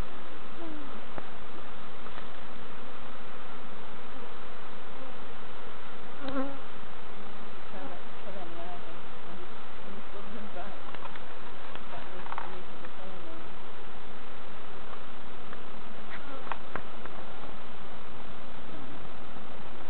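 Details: Constant low drone of honey bees while novices check hive frames at Summerwood Lane Allotments and Community Garden; the thick buzzing hum runs throughout, with faint scattered clicks and brief murmured voices in the background.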